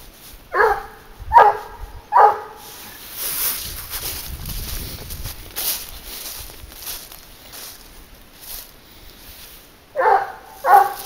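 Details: Garuo, a 22-month-old leash hunting dog, barking while trailing wild boar: three sharp barks in quick succession near the start, a long quiet stretch of outdoor rustling, then two more barks at the end.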